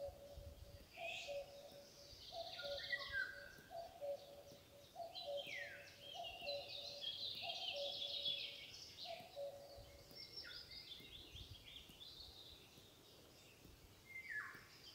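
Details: A calling fawn seeks its mother with a steady series of brief, flat bleats spaced just over a second apart. Busy twittering birds and rising whistles fill the air above.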